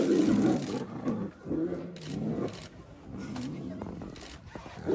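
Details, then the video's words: Tiger roaring during a territory fight: deep, rough, rumbling roars in uneven bursts, the loudest at the start and a further surge near the middle, with low growling tones between. "Tiger roaring sound and territory fight"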